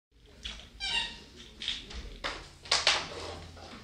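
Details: Basenji puppies at play give short, high squeaky yelps and thin whines in quick bursts, the loudest pair near the end, with scuffling and rustling between cries.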